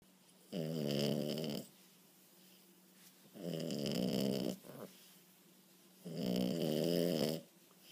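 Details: French Bulldog puppy asleep on a couch, snoring loudly indoors: three long, raspy, buzzing snores, each about a second long, repeating roughly every three seconds with quiet breathing pauses between them.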